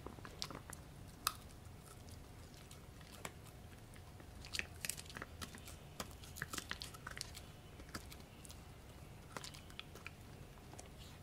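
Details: Gureum the Pomsky, a Husky crossed with a Pomeranian, chewing pork indoors; sharp crackling bites and wet mouth clicks come in uneven clusters, densest midway, over a faint steady room hum.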